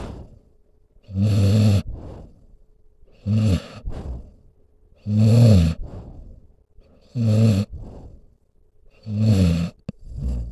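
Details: Deep rumbling snores from a sleeping dog, roughly every two seconds, each a rough, throaty inhale with a short airy puff after it; a faint steady hum sits in the background of the quiet room.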